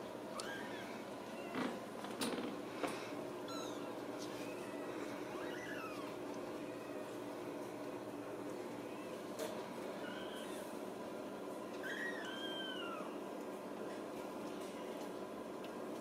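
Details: Ragdoll kittens raised in a home cattery in central Kansas, kept without cages, give thin, high mews that arch up and down, scattered every few seconds over a steady low room hum with a few sharp knocks.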